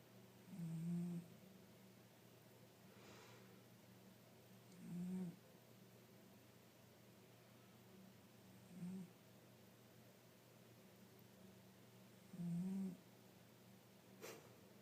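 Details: Five-year-old tabby cat asleep indoors, snoring fairly loudly: low, tonal rasping breaths repeating about every four seconds, four snores in all, with quiet gaps between and a steady low hum in the room.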